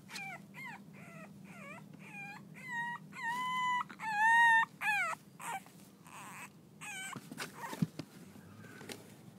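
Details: Playful six-week-old French Bulldog pups of Reddy's litter whine in a quick series of bent, tonal yelps, roughly one or two per second, loudest in the middle, then fading into clicks and scuffling noise.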